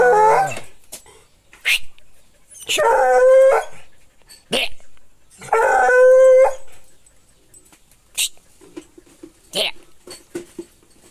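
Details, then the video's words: American hound giving two sustained howls with steady harmonic tones, mixed with brief yelps and clicks, human speech and other short noises in between. "cachorro americano urrador"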